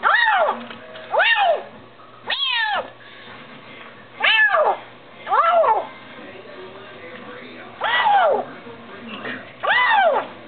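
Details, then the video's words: Hungry Bengal kitten eating: loud, strained meows, each rising then falling, repeated at irregular intervals of one to two seconds, about eight calls, over a low steady background hum. "hungry bengal kitten"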